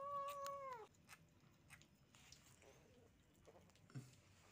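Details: Kitten eating steamed shark meat that sticks to its mouth gives one steady, drawn-out meow lasting under a second, then quiet clicking and smacking chewing sounds indoors.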